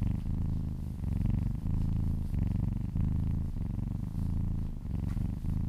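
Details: Domestic cat purring while massaged, close and loud, a deep vibrating rumble broken into rhythmic breath cycles about every half to one second.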